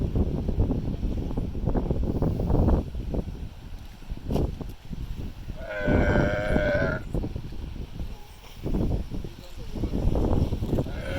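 A sea lion gives a drawn-out, honking bark with a strong harmonic ring over rough background noise.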